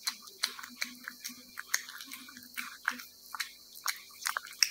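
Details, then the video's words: Wet food being chewed by a cat: crisp, rapid smacking and squishy bites in uneven bursts, with brief pauses between mouthfuls, over a quiet low room hum. "貓吃濕糧聲音 CAT EATING SOUND"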